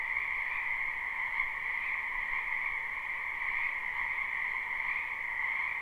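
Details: Frogs croak together in a wetland during spring, a live unlooped recording: continuous overlapping trills form an even, shimmering wall of sound with no pauses.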